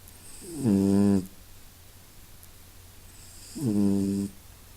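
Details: Masya, a pet cat, snuffling and snoring indoors: two low, droning, harmonic snores, each under a second long, about three seconds apart, with quiet room hush between.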